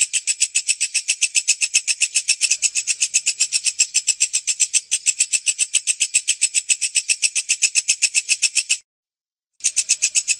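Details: A walang kecek, a katydid-like Indonesian insect whose song is prized for tutoring songbirds, calls with a fast, steady train of high, buzzy, rasping pulses, about four each second.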